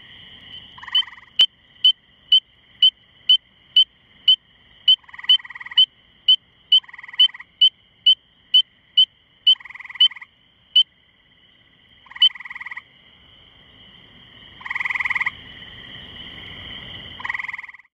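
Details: A Spring peeper calls from a small shrub about two feet up, with high, clear peeps about twice a second, outside Cornell Lab of Ornithology, May 11, 2015, ~9:45 pm, on a misty evening after rain.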